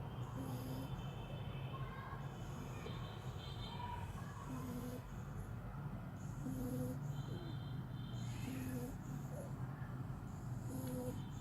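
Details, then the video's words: Sleeping little French Bulldog snoring steadily, each rasping, snorting breath arriving roughly every two seconds, with airy high hiss on the inhales above a deep continuous rumble. "little frenchie snoring"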